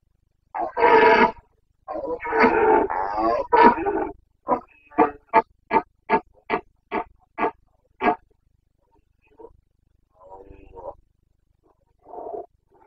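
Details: Carpathian red deer stag in Bucovina during the breeding season rut, late September 2022: long harsh roars followed by a quick series of about nine short grunting barks, then quieter fading grunts.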